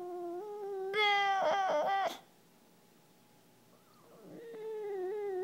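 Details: Rocco, a male English Bulldog, whines because he wants someone to play with his frisbee: steady high nasal whining tones, a louder squealing burst for about a second, a short quiet pause, then the thin whine starts again and holds.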